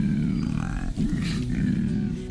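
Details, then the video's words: A male koala bellows in deep, rasping, snore-like pulses in the eucalypt forest of Australia, with faint music underneath. "that's a male koala bellowing in the eucalypt forest of Australia."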